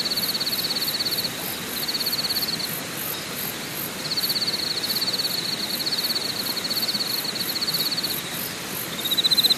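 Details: A chorus of insects at Deokyudae Camping Site, Deogyusan National Park, South Korea: steady high trills with a shrill pulsing buzz layered above.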